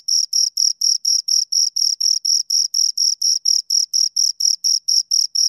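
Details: Two crickets chirping: clean, high-pitched pulses repeated steadily about four times a second, each a short scraping burst with a bright upper overtone, over complete silence with no other sounds.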